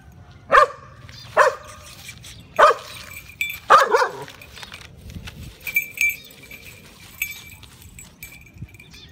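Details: Shiba Inu facing a cat, two dogs against one, gives four sharp barks at roughly one-second intervals, the last slightly longer, followed by a calmer stretch with light scuffling and faint high ringing noises.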